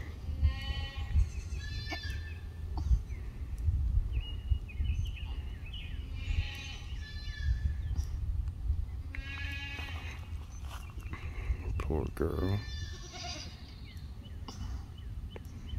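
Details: Kiko nanny goat, a first-time mother in labor on a small Tennessee farm, 19 April 2021. Several wavering, harmonic bleats arrive in bursts a few seconds apart over a steady low rumble of background noise.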